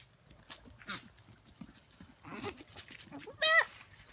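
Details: Goat giving a single short, nasal bleat near the end, bright and harmonic. It follows faint scattered clicks, rustles and quiet background noise.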